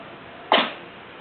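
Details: A domestic cat sneezes once, loudly and vigorously: a single sharp, breathy burst lasting a fraction of a second, then only quiet indoor room noise.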